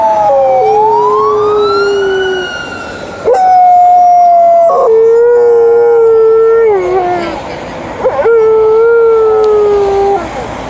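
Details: Liza, an Alaskan Malamute, howls at a passing ambulance and then a police car: a rising siren-like tone gives way to long, steady, rich howls that waver and sag at their ends, with a brief break between them.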